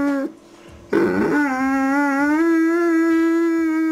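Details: A Doberman Pinscher from Salt Lake City "sings" when asked, howling a long, steady, tuneful note that lifts slightly in pitch toward the end.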